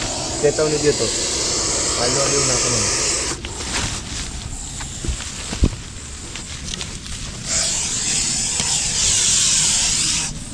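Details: Russell's viper, a large individual, being rescued one morning from overgrown grass beside a house, warning people not to come near. It gives long, loud, rushing breathy hisses, one early and a sustained burst near the end, with a man talking over it.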